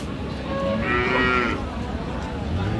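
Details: Friesian cow at a livestock market in Ambari haat, Dinajpur, with calves present, on 6 June; one short, rough moo about half a second long rises out of steady crowd and market noise.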